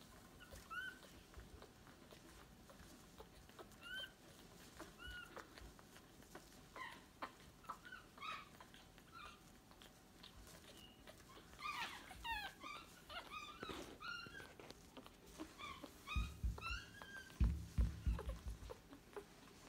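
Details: Newborn Staffordshire Bull Terrier puppies squeaking and whining in thin, high, rising and falling calls, scattered at first then thicker in the middle, with low thumps and handling noise near the end.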